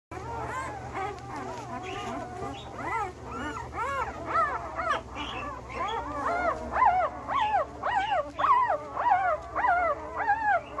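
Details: Belgian Malinois male puppies, one week old, born 26 September 2021, giving a steady chorus of high, arching whimpers and squeals, several overlapping and repeating roughly twice a second, rising and falling in pitch.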